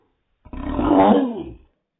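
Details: Dog barking from its own hiccups, played in slow motion: one drawn-out, deep, groaning bark lasting about a second, swelling then fading, in a small room.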